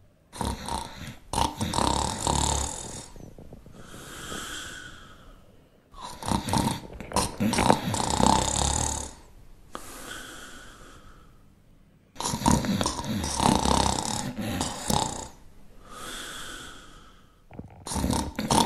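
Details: Shar Pei dog snoring in steady cycles, each harsh rattling inhale of two to three seconds followed by a softer hissing exhale, repeating roughly every six seconds.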